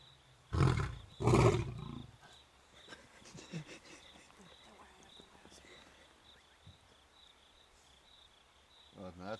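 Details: Two deep, powerful roars from one of two roughly 8-year-old male lion brothers on an African game reserve, calling to the females. The roars burst out back to back, then fade into a quiet background hum.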